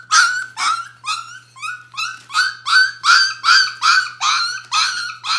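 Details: Bohemian Shepherd puppies of the "F" litter, one day short of four weeks old, whimpering indoors: high, harmonic cries that rise then fall, repeated steadily about two to three times a second in an unbroken series.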